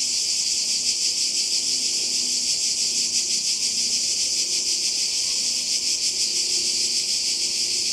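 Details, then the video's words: Cicada chorus on the Croatian coast in summer 2020: a continuous, very high, metallic buzzing drone, evenly loud and finely pulsating. Quiet low background murmuring lies under it. "Kroatien Zikaden und Meer"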